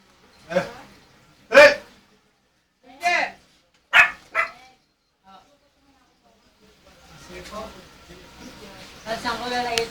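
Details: A Miniature Pinscher going crazy lets out five sharp, harmonic barks in the first half. After that, people talk and background music plays.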